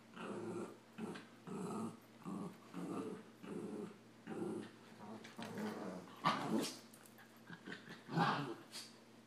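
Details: Two puppies, a Samoyed named Adam and a Rat Terrier, play fighting: steady rhythmic low growls pulse about every half second, then grow more uneven, broken by two sharper, higher yelping barks near the end.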